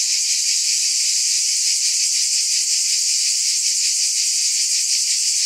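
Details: Loud shimmering buzz of cicadas, high and rasping with a trembling pulse, continuous and level from start to end, alone in the recording.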